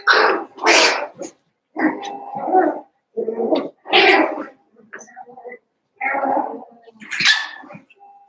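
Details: Seven-week-old Cavalier King Charles Spaniel puppies from Daisy's litter, in an indoor home puppy pen: a string of short, harsh yips and squeals in uneven bursts, some shrill and high, with brief gaps of silence between them.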